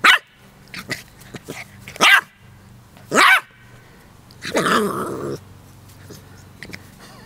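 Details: Playful barking from Charlie, a Keeshond puppy of 10 weeks, fighting with a dandelion: a string of short high yaps, a few louder ones, then a longer rough growly bark-whine near the end.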